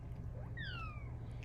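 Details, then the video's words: Female Bengal cat at night, calling for attention and cuddles: a soft, thin meow gliding steadily downward against low background hum indoors. "Cat with the meow that can't be ignored!"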